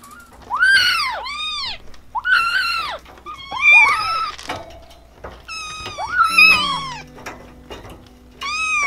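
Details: Kittens, described as hungry, scared, lonely or angry, give a string of arched, high meows. Several rise and fall within about half a second, coming in irregular bursts with short pauses between them.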